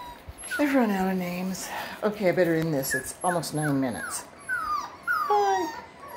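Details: Six-week-old Russell Terrier puppies, two boys and two girls, at a kennel, sending out drawn-out whines that slide downward, then short higher squeaks, over steady human chatter.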